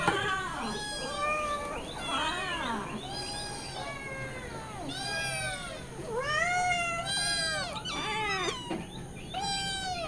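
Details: Domestic cat and her kittens loudly meowing as they demand milk at mealtime; a dense chorus of overlapping harmonic meows, some rising and falling, others drawn out and wavering, almost continuous over ten seconds with little pause.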